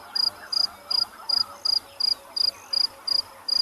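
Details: Crickets chirp in steady high-pitched pulses, about three bursts a second, over faint low murmurs at sunrise on safari in late January, with rain expected. Forktailed drongo calls and distant baboon alarm calls were also heard around this time.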